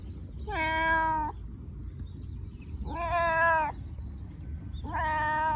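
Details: Meows of a domestic cat, used to attract cats and coax hiding ones out: three drawn-out harmonic meows, each slightly rising then level, about two seconds apart, with faint high chirps between.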